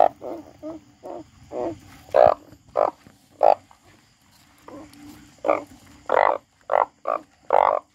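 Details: A frog gives short rasping croaks, some soft and some loud, in uneven bursts over eight seconds, with a quieter stretch midway before a run of strong harsh notes near the end; a low steady hum underneath.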